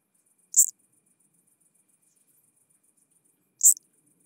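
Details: Chabrier's marbled bush-cricket singing at Arzo, Switzerland, 4 August 2023, possibly through an ultrasound detector: two brief, sharp, high-pitched chirps about three seconds apart, with a faint steady high ticking in between and otherwise silence.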